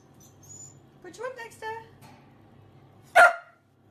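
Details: Dachshund, a sausage dog, at mealtime gives two short, high, arching whiny yelps, then after a pause a single sharp, loud bark; a person speaks softly nearby.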